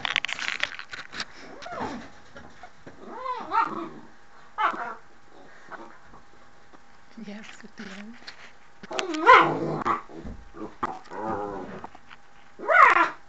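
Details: Mushu, a pet dog at the door indoors, gives scattered harmonic barks and whining yelps, with louder outbursts near the middle and end. A person's voice is heard between the calls.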